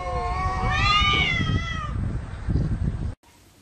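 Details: A single drawn-out cat meow rising then falling, followed by low thumping and rustling noise before an abrupt cut.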